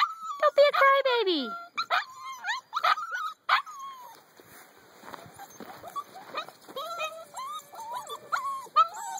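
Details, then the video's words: Eight-week-old puppies, several together, whining and whimpering in high, wavering, harmonic-rich cries that slide downward, mixed with a woman's voice talking to them and short sharp yips. "Mahi puppies... - 8 weeks old..."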